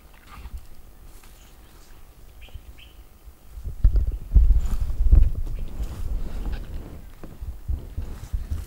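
Indian wild boar feeding, with heavy, irregular crunching and chewing thumps in the second half, after a quieter start with faint bird chirps.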